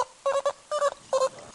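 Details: Beluga whale gives three brief, squeaky bursts about half a second apart, each a doubled nasal squeal rich in buzzy harmonics; belugas rely on sharp hearing to communicate, navigate and feed.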